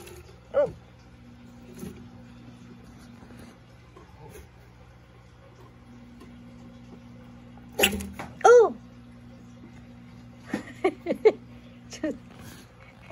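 A Cranwell's horned frog gives short, harsh squawking bursts in angry protest, over a low hum.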